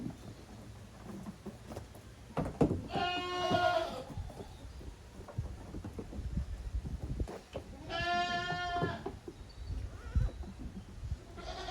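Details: Goat kids playing hard in the exercise yard at Yoshigake, a handmade goat farm in Japan, on 30 April 2023: two harmonic, wavering bleats about five seconds apart, with thumps and rustling from the playing kids between them.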